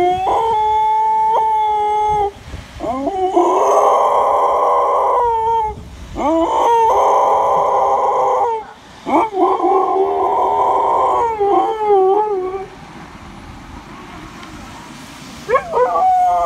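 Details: Dogs howling together in long, drawn-out wavering tones, several voices overlapping, with brief breaks between bouts and quieter gaps near the end.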